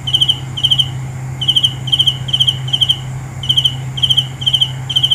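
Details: Nighttime cricket chirping in short trilled bursts, each a cluster of quick pulses, spaced about half a second apart with small pauses, over a low steady hum and faint high insect whine.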